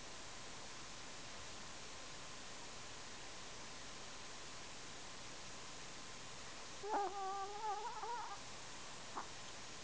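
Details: Kenny the Chihuahua snoring: a single wavering, whistly nasal tone lasting about a second and a half, followed by a faint click, over a steady low room hiss.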